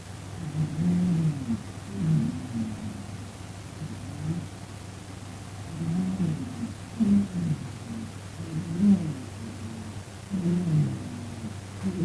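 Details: Sleeping domestic cat that snores loudly and sometimes talks in its sleep, heard indoors. Low, rumbling snores in rhythmic bursts about every one and a half to two seconds, each rough and throaty, over a steady low hum.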